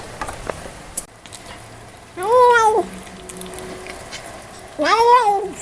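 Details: Kitten meowing and talking while eating, two loud, bent meows that rise and fall with a wobble, separated by chewing sounds and small clicks in a quiet indoor setting.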